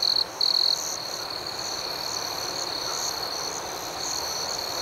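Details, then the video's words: Crickets at night, opening with two louder, close high-pitched trills broken by a short gap, then settling into a softer steady chorus of shrill, faintly pulsing chirps. "Soothing Cricket Sounds"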